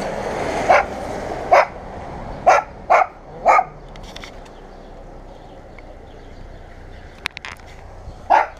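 A dog gives a run of sharp, single barks, then falls quiet before one last bark.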